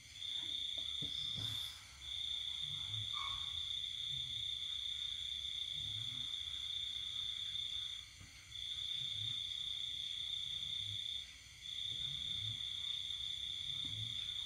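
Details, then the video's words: Cricket singing at night at a countryside home in Vietnam while the household sleeps, during the pandemic; a sustained high ringing trill broken by short pauses around eight and eleven seconds, with faint soft low thumps beneath. "Tiếng dế kêu đêm"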